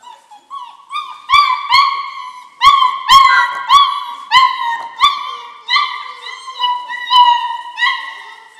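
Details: German Shorthaired Pointer litter, four weeks old, giving loud drawn-out whines and yelps, around fifteen in nine seconds, each bright and overtone-rich, with sharp clicks or knocks in the background between calls.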